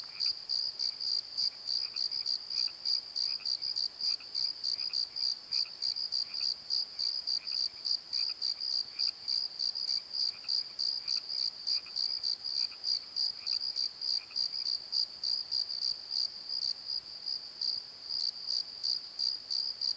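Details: Night chorus of crickets in a valley bottom at Pozo, a continuous high trill of rapid pulsed chirps, with a second softer chirping voice present for the first fifteen seconds and then fading out.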